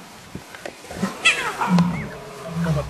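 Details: Wild lion cubs, eight of them with two females, on safari in July 2016; a young male calls and is answered, soft low grunting moans with a brief rising squeal, over people's voices and outdoor background.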